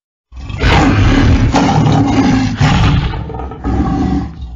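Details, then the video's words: Lion roaring: a loud, rough, low-pitched roar beginning abruptly after a brief silence, with heavy rumbling bass and gritty broadband texture, dipping briefly twice before resuming. "Löwen Brüllen"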